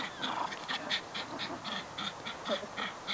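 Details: Jack, a Jack Russell Terrier, during football play: a rapid series of short, high whining yips, about a dozen in three seconds, with a person's voice faintly behind.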